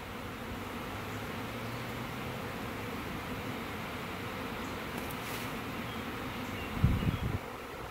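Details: Swarming honey bees, about 20,000-30,000 from a one-year-old hive, being housed in a hive box after clustering high in a maple tree, some fanning. A dense, steady droning hum with low tonal bands, and a brief louder knock near the end.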